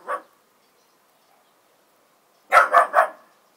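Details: Miniature bull terrier, new to its home, barking at outside dogs: one short bark, a pause, then a quick burst of three barks in under a second.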